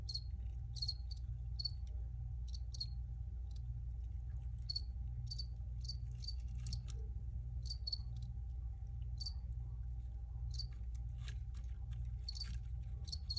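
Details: Original recording of crickets: scattered high chirps, often in quick doubles or triples, irregularly spaced throughout, above a persistent low hum.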